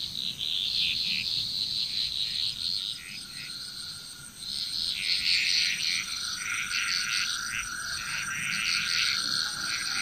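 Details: Frog chorus in Bali, Indonesia: dense overlapping croaking pulses, bright and rapid, with a steady high insect-like drone and a faint continuous tone beneath.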